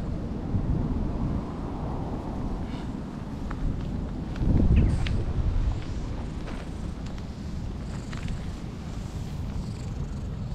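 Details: An old stray cat in a park in Japan, rolling about while basking in the sun to warm itself, gives a low, continuous rumbling purr with a faint sharp sound near the middle; light outdoor background noise.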